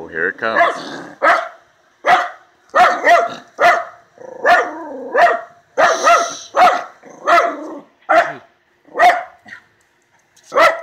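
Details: Jake, a male Miniature Schnauzer, barks angrily at something in the yard in a steady volley of about a dozen short, harsh barks, roughly one every second, while a person urges him on.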